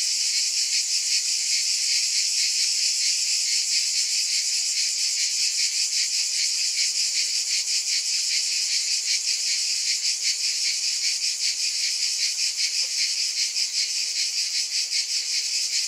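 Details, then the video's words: Cicadas in a dense, unbroken chorus: a bright, hissing buzz sitting high in pitch, with a faint shimmering pulse running through it and an even loudness from start to finish, no other sounds. "Scintillating Cicadas"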